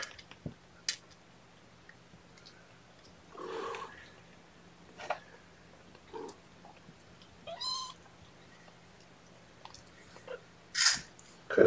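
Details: Young kittens during a morning bottle feeding with formula given by syringe, giving a few short thin meows spaced several seconds apart among handling rustles, clicks and bumps.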